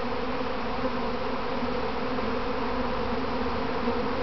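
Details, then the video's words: Kept honey bees in a practice swarm around their hive box, recorded from within the swarm: continuous thick buzzing drone, even in loudness, with faint low rumble beneath. "Inside a Honeybee Swarm"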